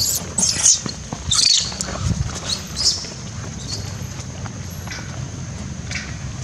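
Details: Young wild monkey Jilla, frightened and distressed after her mother was bitten by Karry; sharp high-pitched squeaks in short bursts during the first three seconds, then fading, over rustling ground noise and a low outdoor rumble.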